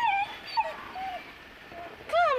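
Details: Two-month-old Saint Bernard puppy named Turkey, afraid to go down stairs, gives high whining whimpers: a falling tone, a short dip, then a rising-falling whine, with faint background noise.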